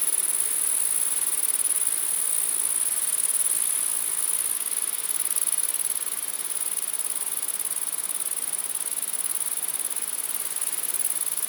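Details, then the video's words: Many grasshoppers buzzing together at night: a dense, unbroken, very high-pitched hissing drone that holds steady throughout with only slight swells in loudness. "Grasshopper Sounds | Grasshopper Buzz, Night Grasshopper Humming Sound, Mass Grasshoppers Sound"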